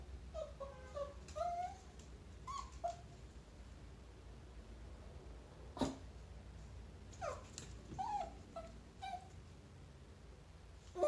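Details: Chihuahua encountering a chinchilla: thin, high whining cries in short bursts, with one sharp knock in the middle and more falling whimpers toward the end over a low background hum.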